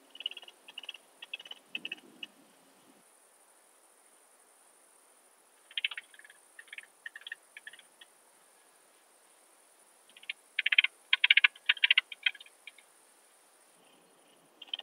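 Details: Alpine saw bush-cricket recorded in Brixen, Italy, 11 September 2022, via a Pettersson D 100 ultrasound detector: scattered faint bursts of clicking pulses over steady hiss, building to a louder, denser cluster of ticks midway before tailing off.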